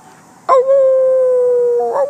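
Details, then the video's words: A West Highland White Terrier being taught to howl at sirens gives a sudden, long, steady howl that sags slightly in pitch as it fades. "Howl like a wolf, Katie!!"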